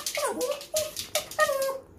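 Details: Short, nasal whines from Leo, a four-year-old pet Pomeranian said to be hungry all the time. Three or four brief tonal yelps are recorded indoors, each holding a steady pitch, with soft rustling in the background.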